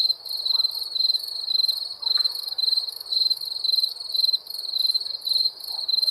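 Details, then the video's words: Wild crickets chirping steadily in a high, narrow band, pulsed trills in bursts about twice a second with brief dips between, a few faint low knocks in the background. "Wild Crickets"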